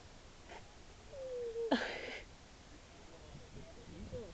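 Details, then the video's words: A captive seal at Mablethorpe seal sanctuary that kept making strange noises gives a short, level whining tone lasting about half a second, which ends in a sudden harsh, noisy burst. People chat quietly in the background. "Seal Makes Funny Noises"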